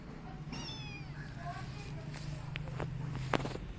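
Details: Rescued street kittens, described as very choosy about eating, give thin high meows with stacked overtones, rising then falling, several in quick succession in the first second and a half, followed by clicks and clatter over a steady low hum.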